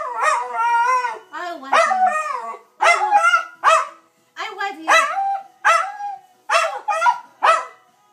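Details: Family Dachshund Dusty in a playful "I love you" exchange with his owner, short choppy howls and yowls in bursts about every half second, interleaved with a human voice.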